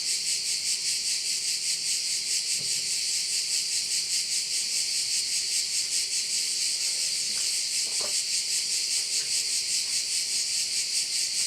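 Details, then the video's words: Crickets in Korčula, Croatia, by a bay: an unbroken shrill high-pitched trill throbbing at a steady pace of about two and a half pulses per second, with a few faint clicks and a soft low hum. "view of one of the bays in Korcula with sounds of crickets"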